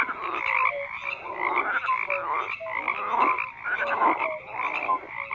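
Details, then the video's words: Frogs croaking en masse, rasping pulsed calls in bursts a little over once a second, mixed with brief pure notes, fairly regular pulsing chorus. "FROGS CROAKING"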